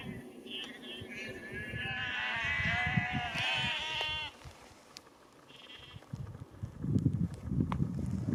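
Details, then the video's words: Sheep being called by a farmer and moved down a lane to another field near Cefn Coch, Powys, Wales, on 31 March 2021; a wavering, quavering bleat rises mid-clip over low rumbling and scuffing noise, with a brief fainter bleat later. "Farmers calls his sheep and moves them down lane to another field"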